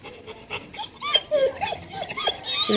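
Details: Black German Shepherd, one of a pair resting in 40-plus degree sun in dark coats; short high whining and whimpering notes with rising and bending tones, breathy puffs between them, growing louder toward the end.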